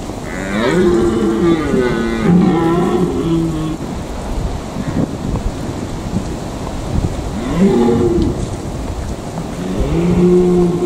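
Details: Rutting red deer in the Eifel giving long, low, moaning roars in two bursts separated by a quieter gap of rumbling background noise.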